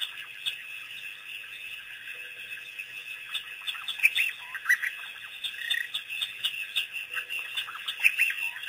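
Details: African painted dogs, a pack released by researchers, on their first visit to Pete's Pond waterhole on April 5, 2008; high squeaky chirps and twitters come in loose, irregular bursts over a steady background hiss.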